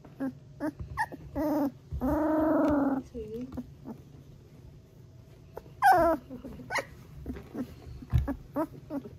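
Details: A three-week-old Golden Retriever puppy girl makes her first sounds: short squeaks, then a sustained harmonic whining trill about a second long, quiet pauses, and a sharp rising yelp, with faint background hum.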